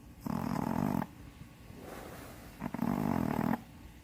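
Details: Shih Tzu named Gyuri, about seven to eight years old, blind in the left eye, after nostril-widening surgery, adopted after being rehomed twice; two loud, harsh snores, each lasting close to a second, separated by a softer breath.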